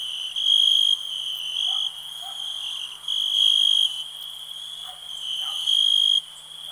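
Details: A cricket gives loud high ringing chirps at intervals of one to two seconds, while a softer continuous insect trill and a faint low hum carry on beneath.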